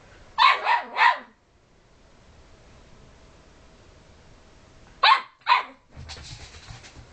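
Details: Puppy nagging the other household dogs lets out a quick burst of three barks, a long quiet pause, then two more sharp barks, ending in a soft rustling thump.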